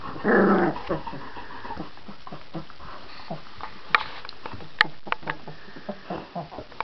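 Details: Litter of Irish Red Setter puppies, 18 days old: a short squealing whine at the start, then soft scattered grunts, snuffles and small whimpers from the pups, with faint knocks.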